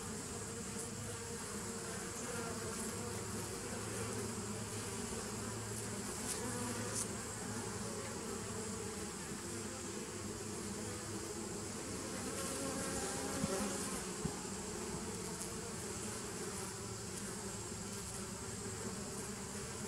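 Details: Continuous droning hum of bees, 27 September 2018, a thick, even low buzz with faint tonal bands and steady background hiss, briefly swelling a little louder near the end.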